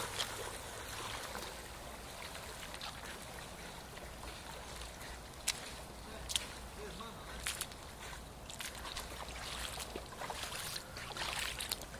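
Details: Flowing river water trickles steadily beneath faint murmured speech and scattered sharp clicks.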